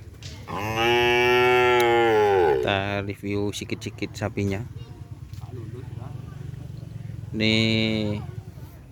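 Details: Cattle at a Kerapan Sapi bull race gathering at Asemanis around Idul Adha: a long loud moo of about two seconds, quick shorter bellows after it, then another moo near the end, people talking behind.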